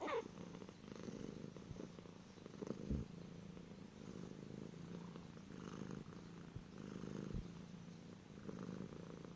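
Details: Cat, from a collection of funny cat noises, purring continuously: a deep, throbbing hum that swells and eases with each breath. A brief higher squeak opens the clip, and a couple of soft knocks punctuate the rumble.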